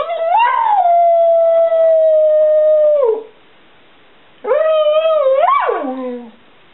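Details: Responding to 'Mommy, tell me,' Bubba, a 7-year-old Border Collie mix, gives a sustained level howl of about three seconds that fades downward, then a shorter rising and falling yodel.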